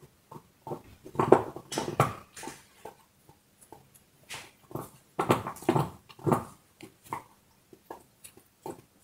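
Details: Dog chewing a bone indoors in a small room: irregular bursts of crunching and gnawing, with louder clusters of crackling bites between short quiet pauses.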